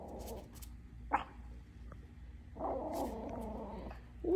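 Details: A Yorkie gives low, rumbling growls in sustained bursts at a piece of paper, which is unusual behaviour for him, with a person speaking briefly.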